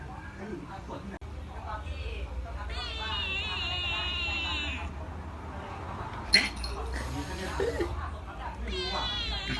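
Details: Indoor resident orange house cat threatening a grey former stray kitten adopted about a month earlier. It gives a long, wavering, drawn-out growling yowl, a short breathy hiss, then another yowl, while a woman talks over it.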